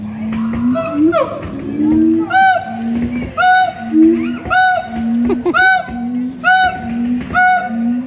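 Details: Siamangs calling at the Columbus Zoo in May 2017: a steady low booming hum underlies repeated sharp rising whoops with rich overtones, arriving roughly every 0.8 seconds in a rhythmic series, with echoing enclosure ambience.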